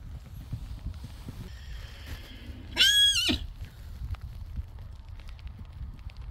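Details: Friesian horse neighing while meeting a new companion horse, Bjarni meeting Spidey; one loud, high whinny of about half a second, with a steady upper tone, over a background of shuffling hooves and low rumble.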